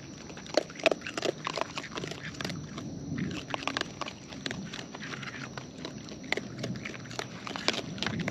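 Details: Raccoons in the wild feeding at close range. Steady, irregular crunching and biting goes on throughout, with quick clicky bursts and moist mouth noises and only brief pauses between bites.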